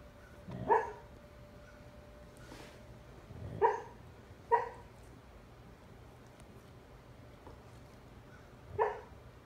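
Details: Bandit, a fostered husky, talks in his sleep while dreaming indoors; four muffled, breathy woofs with harmonic tone spaced irregularly a few seconds apart, soft snuffles between, against a constant low household hum.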